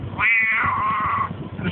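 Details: Pet cat in a Russian home, answering its owner's questions as he urges it to say "quack"; one drawn-out harmonic meow, starting high, sliding lower and holding for about a second, a man's voice before and after.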